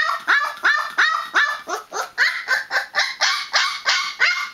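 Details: A 20-day-old Newfoundland puppy in noisy protest gives loud, squealing whine-yelps in quick succession, each note swooping downward, delivered about three per second without pause.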